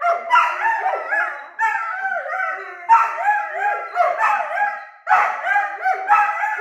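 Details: Two 9-month-old Weimaraner puppies argue, trading rising and falling whines and yowls in quick, overlapping bursts.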